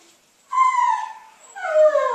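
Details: Female Basenji being taught to refuse food with "leave it": after a short quiet start come two loud, tonal whining cries, each sliding down in pitch, the second louder and lower.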